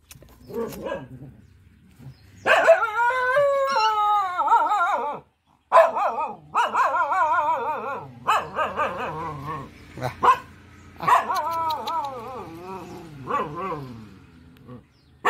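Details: Mother village dog guarding four puppies gives long, wavering, tonal cries that bend up and down, broken by brief gaps and mixed with sharper bark-like onsets, after barking at someone approaching her pups.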